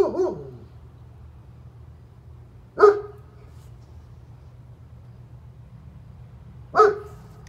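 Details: A neighbor's German Shepherd barks three times, single deep barks spaced roughly three to four seconds apart, each short and resonant, with a low steady hum between them.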